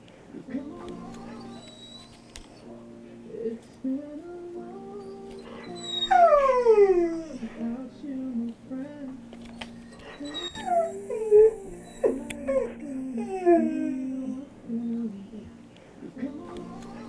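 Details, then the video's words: Conan, a brindle pit bull/mastiff mix, sings along to Wiz Khalifa's See You Again: drawn-out howls that rise and slide downward, strongest near the middle and again later, over steady recorded music with a voice. "Conan sings See you Again by Wiz Khalifa"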